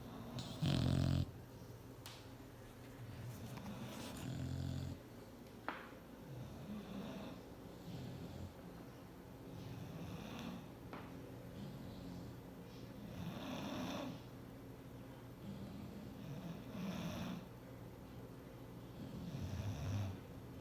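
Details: Bulldog asleep on a chair, a loud rough snore at the start, then softer, breathy snores and snuffles recurring every few seconds, fading quieter, with faint clicks and rustles in a quiet indoor setting.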